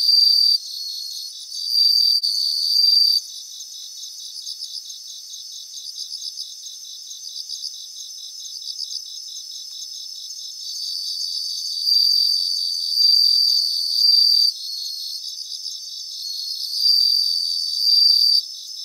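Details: Several bell crickets singing in grassland in Japan: high, ringing sustained trills rise in loud bouts of one to three seconds and alternate with a softer, steadily pulsing chorus of more crickets in the background.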